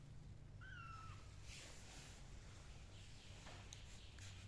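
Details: Sleepy black kittens resting in sand and cotton pots; one thin, high, slightly falling meow near the start, then faint rustling over a steady low hum.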